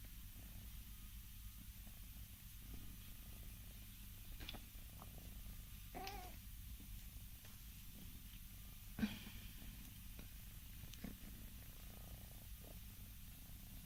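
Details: Scottish Fold cats, four yawning together indoors, with a continuous low, even purring hum, quiet overall, broken by occasional soft clicks and small rustles.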